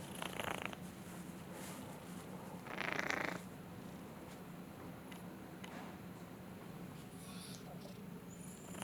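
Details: A cat just woken from snoring purrs with a low, steady rumbling throb, about four pulses a second. Brief breathy bursts and rustles are heard near the start and around three seconds.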